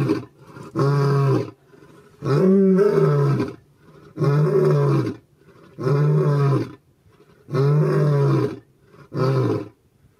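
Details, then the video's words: Wild lions in Botswana roaring: six loud, deep, groaning roars, each about a second long and rich in low rumbling tones, separated by short quiet gaps of roughly a second, with no other clear sounds. "Lions, lionnes, lionceaux : fraternité, amour et rugissement / Lions: fraternity, love and roar"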